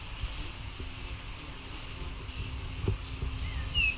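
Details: White-tailed bumblebees at their nest give a low, steady droning buzz under rumbling background noise, recorded 05/06/16.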